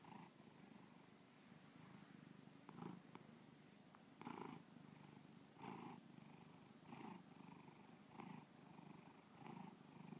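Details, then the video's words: Bubba, a pet cat, gives a long rolling purr recorded in 2013 in Lakewood, Ohio; soft start, then stronger rhythmic breathing pulses a little over a second apart above a steady low hum. "Bubba Purring"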